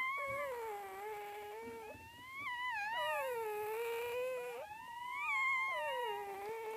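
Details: Puppies giving long, drawn-out whines: sustained, wavering tones that rise and fall slowly and run almost without a break, with a higher sliding note near the middle.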